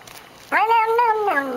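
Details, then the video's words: A female pet cat drinking water lets out one loud, clear meow lasting about a second, rising slightly and then sliding down at the end. "Funny cat noises."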